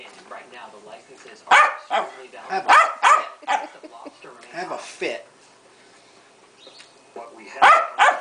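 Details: Pancake, a female pet Keeshond, throwing a hissy fit: bursts of sharp, yappy barks and whining yelps in uneven clusters, with quieter grumbling between them and a person talking in the background.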